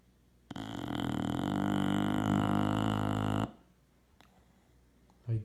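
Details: A sleeping 3-year-old male English Bulldog, on 24 January 2017, snores one long, deep, rattling breath lasting about three seconds.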